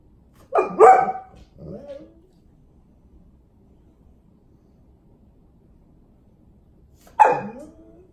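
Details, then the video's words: Male Golden Retriever demanding attention and wanting to go outside; two quick yelping cries and a softer whimper, a long silence, then another sharp yelp-like cry. "Golden Retriever crying for attention!!!"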